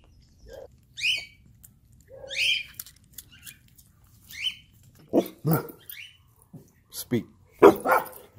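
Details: Reunited with its owner, an abandoned Chihuahua cries: a run of high rising whimpers gives way to sharper yelping barks mixed with a person talking.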